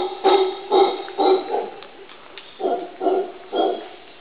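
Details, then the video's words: A male howler monkey on Barro Colorado Island, Panama, gives hoarse, barking alarm calls in quick series, about two per second, in response to a stuffed jaguar. "Howler Monkey Alarm Call"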